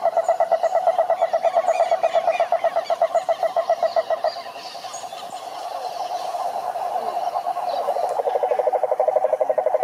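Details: Toad croaking, a steady chorus of rapid pulsed notes repeated many times a second at a mid pitch, with a brief softer patch in the middle before the dense trilling resumes.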